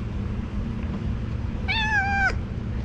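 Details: Stray cat sitting on a car in Istanbul, asking for food and affection, gives one clear, drawn-out meow that holds steady and then drops slightly at the end, over a low urban hum.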